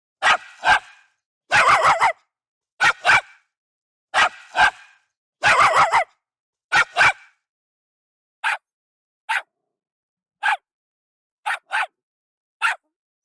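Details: Jack Russell Terrier barking, sharp high barks often in quick doubles, then lighter single yaps; a small, alert terrier breed originally bred in England for fox hunting, known for a surprisingly loud bark.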